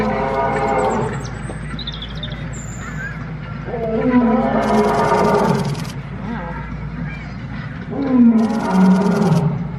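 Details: A zoo lion gives deep, rasping roars in two strong bursts, with faint voices in the background.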